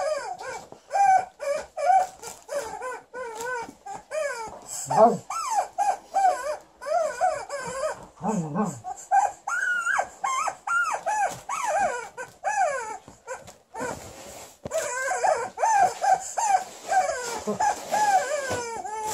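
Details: Liza, a female Alaskan Malamute, indoors, angry at her new chicken toy: a long run of rapid harmonic whining yips and yodelling barks, sliding up and down, with short growly bursts and squeaky high rasps between.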